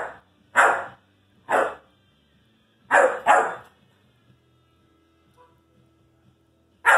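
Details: Irish Wolfhound puppy vocalising at his brother: four short, broad barks spaced about a second apart, then a quiet gap and one more bark at the very end.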